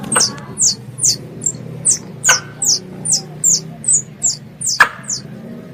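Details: A squirrel calls to its mother with thin, high-pitched downward chirps repeated about twice a second in a fairly steady series, broken by a few sharp clicks.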